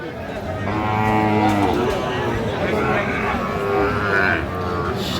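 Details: Sahiwal bull at a cattle market in Khulna, Bangladesh, in January, gives a long, low, steady moo with clear harmonics lasting about a second, over constant crowd chatter and market noise.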